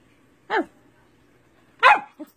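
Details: Siberian Husky being taught basic training commands by its owner gives two short, sharp harmonic barks about 1.3 seconds apart, the second louder and falling in pitch, then a brief soft yip, over a faint low hum.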